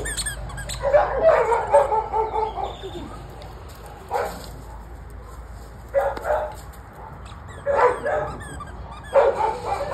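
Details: A Staffordshire Bull Terrier barking in bursts: a long cluster of barks at the start, then single sharp barks near 4, 6, 7.7 and 9.2 seconds, with quiet between.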